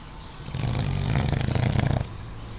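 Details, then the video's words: Watson, a pet dog asleep in his favourite spot, snoring moderately: a single rough, low rumbling snore lasting about a second and a half, rising in loudness, then falling quiet. "watson in his favorite spot snoring moderately"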